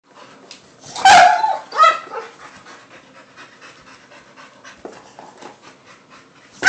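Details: Two pet dogs playing with a cat toy: two loud, harsh bark bursts close together near the start, then quieter panting and shuffling noises, with another sharp sound at the very end.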